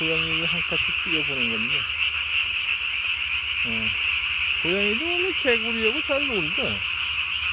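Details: Calling Japanese tree frog after dark on 3 May 2020, vocal sac puffed up as big as its body; a fast pulsing chorus runs under loud, drawn-out, bending low croaks from neighbouring frogs.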